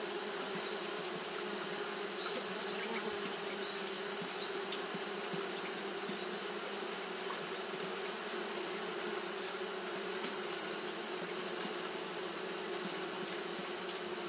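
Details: Fanning Japanese honey bees on a hot day produce a sustained, level buzzing hum, with a few short, thin high chirps near the start and a steady high hiss throughout.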